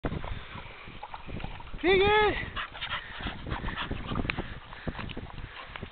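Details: American Pit Bull Terrier family, a five-year-old mother with her two remaining pups, a blue male and a seal female: one clear rising-then-falling whine lasting half a second amid muffled background noise and faint voices.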